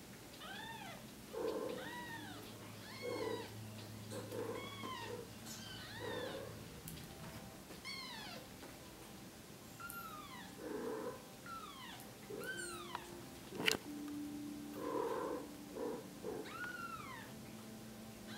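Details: Five-day-old female Bengal kitten, born with suspected cerebellar hypoplasia and helped about by her mother, gives thin high arching mews in a steady series, one every second or so, over soft rustling and low indoor hum.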